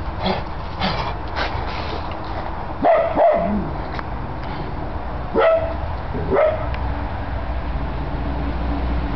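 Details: Great Pyrenees recorded in April 2006, giving a few separate, loud, clipped barks, first a close pair, then two more a few seconds later, over steady low background noise.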